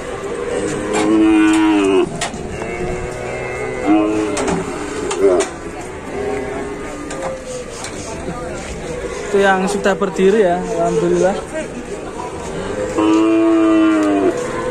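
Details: A cow in Indonesia, stuck while getting down from a truck, gives three drawn-out harmonic moos about four seconds apart. Each moo swells and then falls away, over a steady background of clatter and noise.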